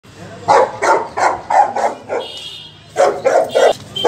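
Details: Two Saint Bernards play fighting, giving a rapid series of short, gruff barks and growly woofs, about three per second in two bursts separated by a brief pause, with a faint higher tone in the background.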